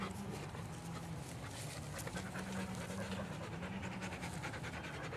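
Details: Three female Australian Cattle Dogs in a backyard on a fine day, panting in quick rhythmic breaths, about two to three a second, over a steady low mechanical hum.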